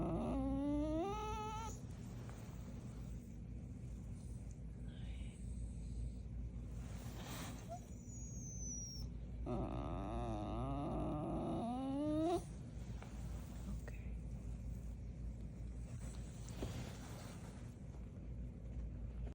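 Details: Pet dog making noises, as it does every day: a short rising whine with clear harmonics at the start, then after a pause a longer wavering, moaning whine, over a steady low background hum.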